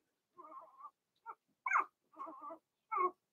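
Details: Blenheim Cavalier King Charles Spaniel puppies from Remy's first litter of six, two females and four males born March 7–8, in an indoor puppy pen during potty training; five short whimpering bursts, nasal and wavering, separated by brief silences.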